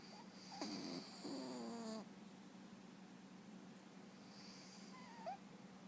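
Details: Scout, a sanctuaried rescue cat, sleeping and snoring: a few drawn-out, harmonic nasal breaths lasting about a second each, with a faint steady low hum in the room.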